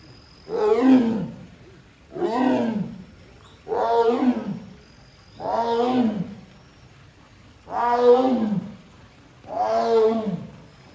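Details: Captive female Amur tiger at Hamamatsu Zoo, Japan, on September 24, 2023, calls her keeper because a door will not open. Six loud, harsh, moaning calls arch down, each about a second long, repeated roughly every two seconds.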